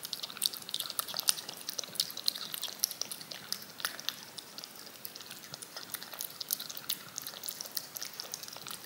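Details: A cat works at yogurt on a spoon with steady, rapid tongue clicks and sticky smacks, dense and irregular throughout, set against a quiet, hissy background.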